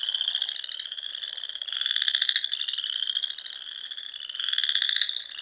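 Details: Frogs in full song at dusk in spring, Sandhills of Nebraska, among lakes and ponds: a ringing high trill that never stops, with harsher pulsed swells arriving every few seconds.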